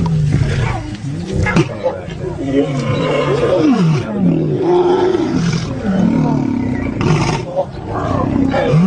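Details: Lions in a fight give rising and falling growls and snarls, curving up and down in pitch in quick succession, with bursts of harsh noise between them.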